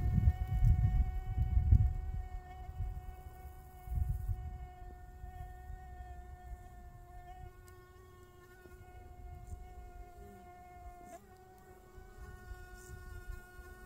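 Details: Honey bees buzzing with a steady, droning hum that holds an even pitch throughout, faint overall, with low rumbling bursts near the start and again around four seconds.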